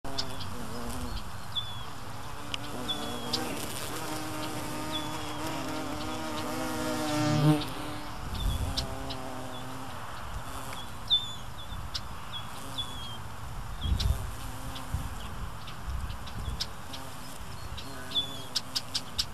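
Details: A carpenter bee's deep, droning buzz swells and fades as it flies close, over low traffic rumble, while robbing nectar from foxglove beard-tongue (Penstemon) flowers through a slit in the corolla, in Marion, Ohio, USA.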